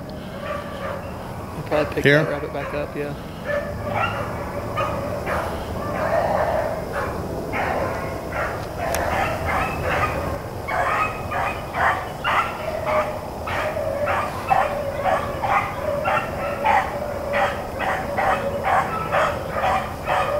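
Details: A pack of Blackcreek and Bluetick hounds running rabbits on April 4, 2013, baying in quick, steady bursts that build into a dense rhythmic chorus, with a few louder knocks near the start.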